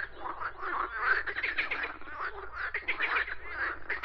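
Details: Frogs croaking in a dense, overlapping chorus: rapid raspy pulses blur into a continuous rattling din with no clear gaps, several callers sounding at once throughout.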